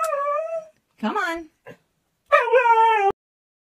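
A Siberian Husky throws a tantrum with drawn-out, talking howls and a short rising yip.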